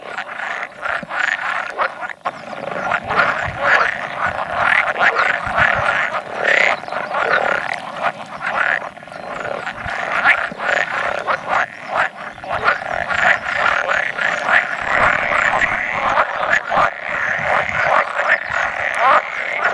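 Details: Pool frog chorus of about 100 males gathered for egg-laying on 16 May 2017, with an edible frog croaking now and then; dense overlapping rattling, quacking croaks sound continuously, pulsing unevenly throughout.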